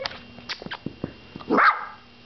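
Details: Pet dog barking at its owner as a camera is brought out: soft clicks and shuffling, then one loud, harsh bark rising and falling near the end, followed by quiet room tone.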